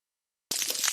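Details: A hydrophone on a coral reef picks up snapping shrimp as a constant crackle: thousands of sharp claw clicks blur into bright, static-like white noise. The sound begins abruptly after a brief silence and stays high and hissy throughout.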